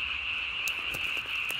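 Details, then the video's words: Japanese tree frog calling at night on 3 May 2020, throat vocal sac inflated almost as big as its body; a steady high-pitched trilling band with faint rapid pulsing, a few soft clicks in the background. "밤에 우는 청개구리 울음판이 몸통 만큼 크네요?"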